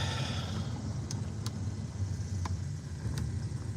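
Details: A car drives along a road with a steady low engine and road rumble and a few faint clicks, and no animal voices are heard.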